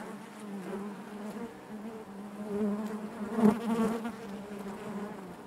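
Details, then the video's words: Constant low hum of honey bees in their hive, a steady buzzing drone that swells briefly to a louder peak midway before settling back. "bees therapy hive natural buzzing sound"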